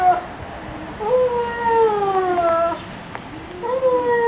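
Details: Whining Giant Schnauzer puppies from Kennel Vestigia Ares, 15 October 2009: three long, clear, falling whimpers, the middle one longest at nearly two seconds, with faint soft clicks between them.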